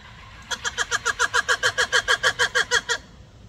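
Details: Black-and-white ruffed lemur calling loudly: a harsh, harmonic barking series of about fifteen rapid pulses, roughly six per second, lasting two and a half seconds before stopping abruptly, over a faint low background hum.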